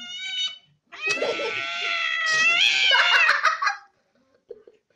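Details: Angry domestic cat in a funny pet compilation giving a long wavering yowl of about three seconds, harmonics rising and falling, after a brief short cry, then silence and a faint soft sound at the end.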